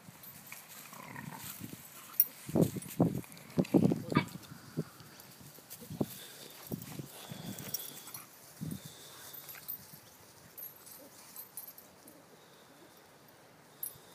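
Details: Three English Staffordshire Bull Terriers, Chachi, Willis and Callie, rumbling in play: a burst of low, rapid grunting growls and snorts over the first nine seconds, then quieter scuffling with faint rustling.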